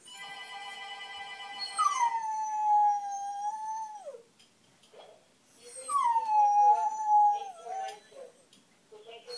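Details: Pet dog reacting to sounds it dislikes: after a steady harmonic tone, two long howls that rise quickly then hold and slowly fall away, separated by a short pause with soft sounds between.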